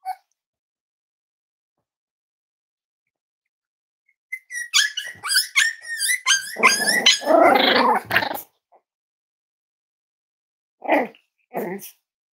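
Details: Five-week-old Cavalier King Charles Spaniel puppies from Myra and Remy's litter, indoors at Red Barn Cavaliers during weight checks: thin, high whimpering yips rise into a dense burst of squealing and growly yapping, then two short barks after a pause.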